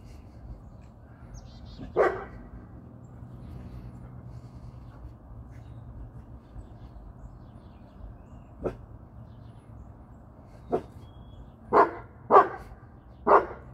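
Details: Dog barking in a household with a three-year-old female brindle Boerboel, a nine-year-old male American Bully and a young female brindle Serbian Defense Dog: one deep bark, a long quiet gap, then spaced barks ending in three quick ones, over low steady hum.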